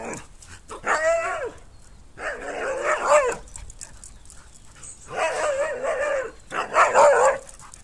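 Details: A 12-week-old female Jack Russell puppy facing two much bigger Siberian Huskies from a distance, fearless: four bursts of harmonic, yappy barking and whining with wavering pitch, separated by short pauses.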